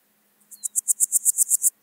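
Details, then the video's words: A single phrase of a Swiss gold grasshopper, Wildhaus, Switzerland, 7 October 2022: about ten crisp, high, scratchy pulses in quick even succession over roughly a second, over a faint steady low hum. "Podismopsis keisti -- Schweizer Goldschrecke -- Swiss Gold Grasshopper"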